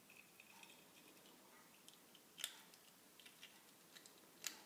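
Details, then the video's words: Female ferret, two years old, grinding or crunching as she eats: faint scattered clicks with two sharp louder cracks about two seconds apart, quiet room. "Ferret grinding teeth?"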